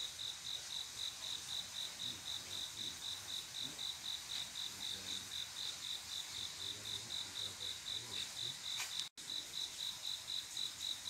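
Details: Quiet summer night with a male cricket calling a female to mate, steady high chirps at about four per second; near the end a sharp click and a momentary dropout briefly break the rhythm.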